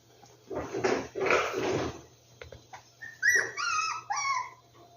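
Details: Rescued puppies: a stretch of broad rustling noise, then from about three seconds a run of high, tonal whines that slide downward, each with bright overtones.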